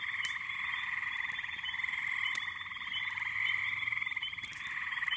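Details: Thick night-pond chorus in May from a backyard, many frogs and little peepers giving high overlapping peeps over a constant trill, with faint clicks.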